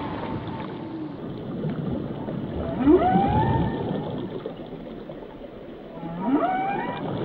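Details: Whale song with rising and falling tonal sweeps, a bright upward whoop near the middle and another climbing call toward the end, set against a hissing, rumbling water background.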